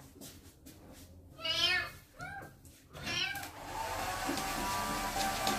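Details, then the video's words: A kitten named Twinkle cries during his first bath as his wounds are cleaned: three short, strained, downward-arching meows in quick succession, then a steady rushing noise fills the room. "KITTEN'S FIRST BATH, CLEANING HIS WOUNDS AND HE MEOWS A LOT"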